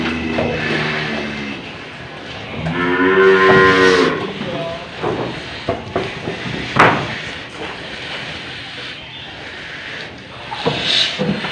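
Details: In Indonesia an old cow has a nose rope fitted and gives a short moo early on, then a clearer harmonic moo, before a stretch of handling noise and clatter.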